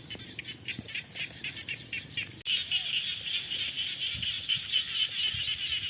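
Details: Frogs calling in the rainy season: a dense chorus of rapid, rasping pulsed calls repeated about twice a second, with a sudden louder, steadier section after a brief cut partway through.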